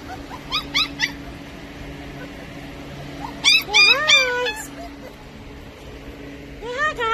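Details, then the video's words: Australian Shepherd puppies giving high yips and whimpers in short bursts, a cluster near the start, a longer rising-falling whine series mid-clip and more yelps at the end, over a steady low hum; a person speaks briefly. "Australian Shepard Puppies"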